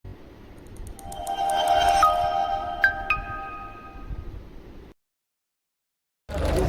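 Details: Bright chime and mallet-percussion music with a low rumble, then a sudden silence and a burst of loud broadband noise at the end; no animal calls are heard.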